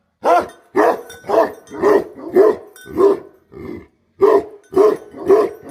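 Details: Rapid barking from a Bhote Kukur guardian dog: about nine harsh, full-throated barks in quick succession, with one short break before the final three.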